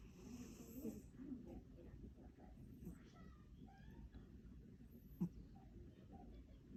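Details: A sleepy American shorthair cat snoring indoors while asleep: soft, rough, breathy snores low in pitch, hoarse and irregular, with a faint click midway and a brief knock at the very end.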